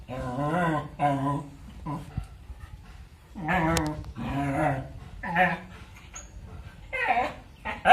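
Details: A dog making funny sounds while playing and fighting with a kitten indoors: drawn-out, wavering, moan-like voiced cries in about five bouts, some nearly a second long, separated by short pauses, with a sharper yelp at the end.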